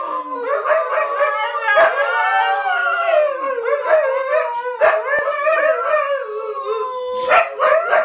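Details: Several huskies howling together as a pack: long, overlapping wavering howls at different pitches, some rising and falling, with short yips and sharp breaks near two, five and seven seconds.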